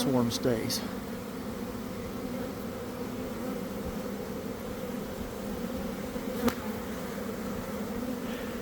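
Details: Inside a honey bee swarm as it develops beside a garden hive, early afternoon after a cold, damp week; a brief spoken word opens, then a thick, continuous droning hum carries on evenly to the end.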